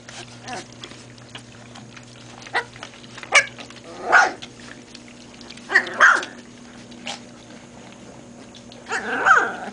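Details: Great Pyrenees puppies learning to drink formula give brief squeaky yelps and whines, scattered at about 3, 4, 6 and 9 seconds, over a steady low electrical hum with light rustling between calls.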